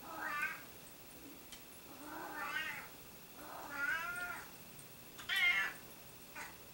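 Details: Domestic cats that keep meowing: five whiny, wavering meows at uneven intervals of about one to one and a half seconds, some rising then falling, against a faint indoor background.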